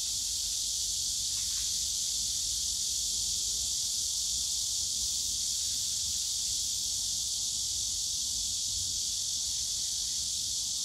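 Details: Summer-day cicada chorus in the bamboo grove of Yongsan Family Park: an unbroken, dense, hissing high-pitched buzz at steady loudness, with soft low park background noise.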